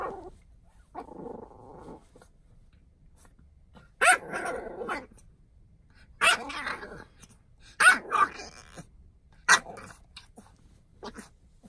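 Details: Khaleesi, a French Bulldog puppy in a goofy mood, lets out sharp, short barks and gruff growly bursts at irregular intervals, about five loud outbursts separated by quiet pauses.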